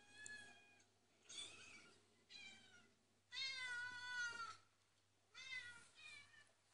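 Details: Domestic cats meowing on a computer playback for a watching dog, indoors; several separate harmonic meows, one long wavering meow in the middle, with a steady low hum throughout.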